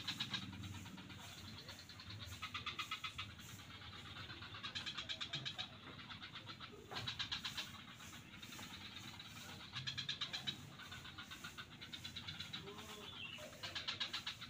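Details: Frogs calling in swamps at Kuta beach, Bali: rattling, rapidly pulsed bursts roughly a second long, repeating every one to two seconds and overlapping into a chorus, over a steady low background rumble.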